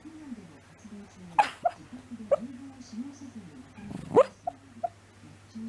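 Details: Shiba Inu moaning in its sleep, August 2019: thin, wavering whimpers drift up and down, broken by a few short sharp sounds near the start and again around the fourth second.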